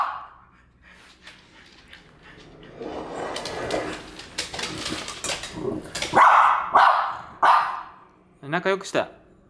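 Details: Female French Bulldog furious at a French Bulldog figurine gives three loud, sharp barks in quick succession near the end. Human talking and laughter fill the earlier part.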